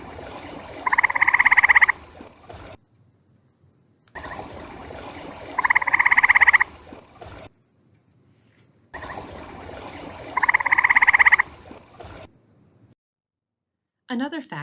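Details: A gray treefrog (Hyla versicolor) in Ohio gives its mating call, short, musical, rapidly pulsed trills repeated every four to five seconds, inflating its vocal sac to amplify them.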